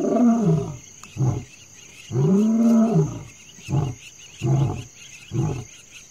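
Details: A wild lion (Panthera leo) in the African bush, Botswana, calls in the middle of the night: two long, deep moaning roars, then a run of shorter grunts fading away.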